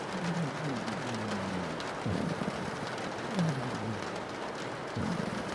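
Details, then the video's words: Sleeping pug snoring under steady rain on a window, each breath a low tonal drone sliding downward, repeating roughly every second or so beneath the constant hiss of rainfall. "rain on your window while a pug is snoring"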